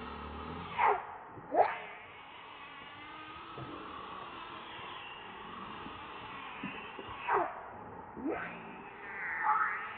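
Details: Baby monkey named Leo crying and begging its mother for milk; several short, sharply falling squeals, each under half a second and spaced irregularly a few seconds apart, over a steady background hum.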